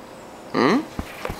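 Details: Ronin, a 13-week-old Doberman puppy indoors, begging for a share of breakfast cereal while trying to climb over the couch: one short whine of about a quarter second with rising harmonics, followed by a few soft taps.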